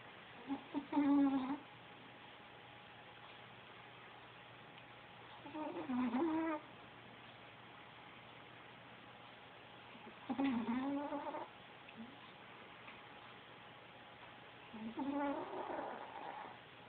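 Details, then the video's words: Taco, a sleeping Chihuahua, snores in a quiet indoor room; four harsh, rattling snores about every four to five seconds, each about a second long, with steady low hum and near silence between breaths. "Taco chihuahua snoring"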